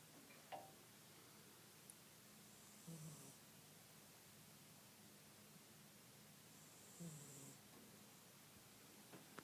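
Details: Archie, a dog, snoring quietly indoors: soft, breathy rumbles with a hissing edge, about every four seconds, separated by near silence.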